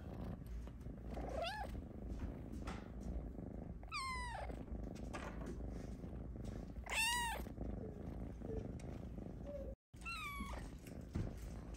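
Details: Snow Lynx Bengal named Luna meows from her hammock asking for pets while napping: four clear, bending meows, some sliding upward then dropping, spaced a few seconds apart over a steady low purring rumble.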